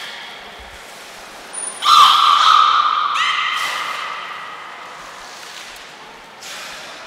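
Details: Beluga Niko during a training session at Port of Nagoya Public Aquarium, 25 February 2024: a sustained tonal call with stacked harmonics, held about a second and a half, then a second lower tone that fades slowly, over quiet background hiss.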